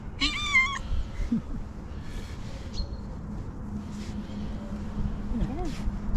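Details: In the morning, in a hospital garden, a friendly female tuxedo cat gives a single high-pitched, wavering meow in greeting, wanting to sit on a lap, while a person talks softly.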